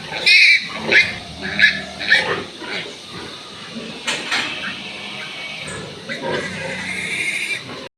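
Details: Newborn piglets on a pig farm, from litters of fourteen and ten, squealing: a run of high, shrill squeals in the first two and a half seconds, then continued lower squealing and rustling, with a man talking nearby.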